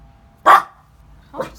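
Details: A small dog being trained not to bark at the doorbell gives one sharp, loud bark after the bell, followed by a softer second bark a second later.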